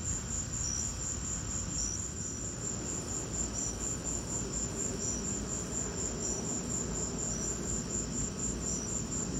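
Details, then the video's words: Cricket chorus in a lightning storm: a sustained high beaded trill, with a lower chirp repeating roughly every second, layered over constant low rumbling noise. "Lightning and crickets!"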